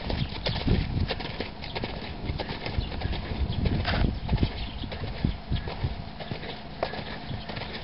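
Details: Hoofbeats of a four-year-old stallion offered for sale: dense, irregular thuds and clicks, fast and uneven like trotting on firm ground, under steady low rumbling background noise.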